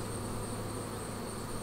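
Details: Honey bees at a Flow Hive during its first honey extraction cycle, frames drained one at a time without killing or stressing the bees; a steady, low droning hum runs unbroken throughout, with a thin constant whine high above it.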